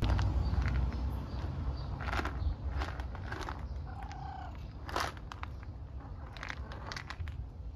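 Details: Friendly stray tabby cat on the streets of Istanbul, waiting for affection and food, purring as a low, steady rumble throughout, with scattered clicks, rustles and brief handling noises on top.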